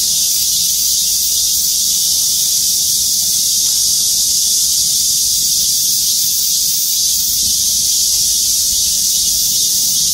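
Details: A dense chorus of cicadas in trees over the parking lot at Gwangmyeong City Hall, South Korea: a steady, high, hissing buzz that never breaks.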